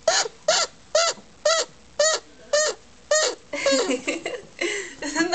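An annoyed chinchilla gives nasal, squeaky barks about twice a second, then faster, jumbled calls.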